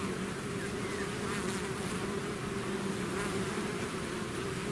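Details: Honeybee-style swarm pouring out of its hive, a dense steady drone with a low hum band and broad hiss, many overlapping wingbeats forming a continuous buzz without pauses.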